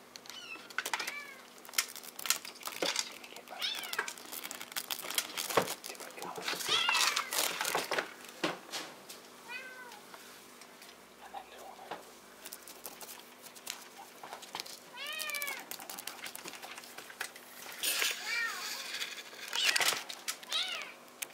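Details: Bengal kittens, silver spotted and marbled, meowing indoors in a small room on 19 December 2014; several high arched mews, some in quick pairs, scattered across the clip amid rustling, crinkling and handling clicks.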